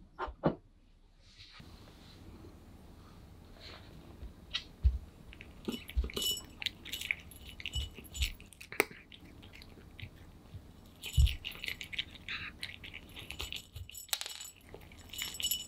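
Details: Pet cat Aman eating kibble greedily indoors, recorded close for ASMR: irregular crunchy chewing clicks and soft thumps scattered across the stretch, with brief bright crackles and quiet gaps.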